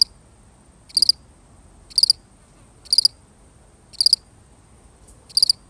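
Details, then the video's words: A solitary cricket gives steady high-pitched chirps, each a brief pulsed burst, returning roughly every second with near silence between them. "The sound of one lonely cricket"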